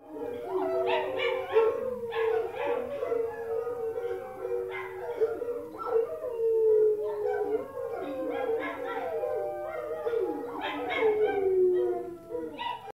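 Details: Giant schnauzer and miniature schnauzer howling together outdoors, recorded about 40 feet away through an open back door: drawn-out wavering howls that overlap and slide up and down, broken by short yips, in bursts through the whole stretch.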